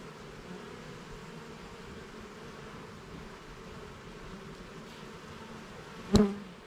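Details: Honey bees at an open hive during a garden hive inspection: a steady low buzzing drone with faint humming bands throughout, then a sharp click or knock near the end.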